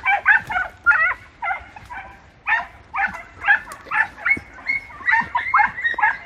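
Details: Podenco hunting dogs from Campo Arañuelo working through bramble: high, sharp yelping barks in quick irregular bursts, about two per second, with a steady run of cries and little background noise.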